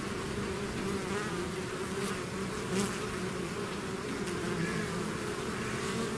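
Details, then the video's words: Swarm of bees exiting the hive, a constant, full buzzing drone with small surges as bees fly near. "bees therapy swarm natural buzzing sound"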